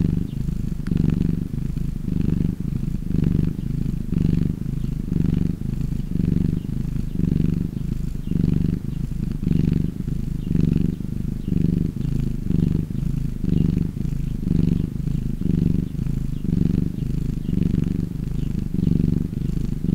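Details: Calm pet cat giving a soothing purr, a rich low buzzing drone pulsing steadily with each breath, close and clear throughout.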